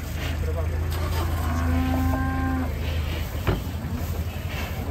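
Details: A raging cow in the water, drawing a gathering crowd of villagers, lets out a single drawn-out flat moo of about a second, partly masked by a heavy low engine-like drone.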